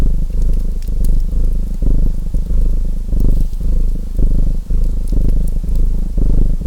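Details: Steady purring from a domestic cat, low and rumbling, rising and falling in breath-length pulses of about half a second, with the light crackle and snap of a fireplace scattered over the top.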